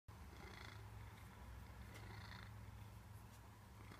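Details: Elderly white Maine Coon cat purring while rubbing against a laptop indoors, a steady low continuous rumble with faint soft rustling above it.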